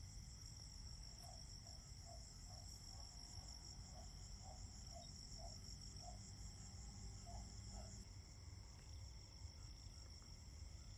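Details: A chorus of autumn crickets holds steady high trills, with a slower chirping pulse beneath and a low rumble.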